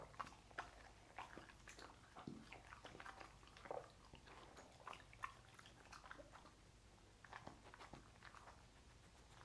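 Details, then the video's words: Dog eating sausages indoors; continuous wet chewing and biting with irregular crunchy clicks and smacks over a low steady background hum. "Dog Eating Sausages"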